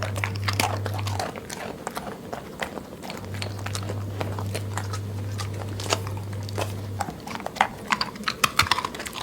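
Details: A dog eats in a grazing, goat-like way, crunching and chewing noisily with quick irregular bites over a low steady hum.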